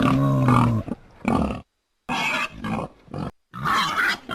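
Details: Wild boar giving a few rough, harsh grunts in short bursts with brief silent gaps between them; some bursts are deeper and tonal, others noisier and higher.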